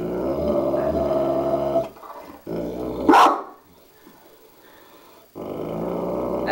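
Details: A Dogue de Bordeaux faces its mirror image: a deep, rolling growl, then a single sharp bark after a pause, a short quiet stretch, and the growling starts again.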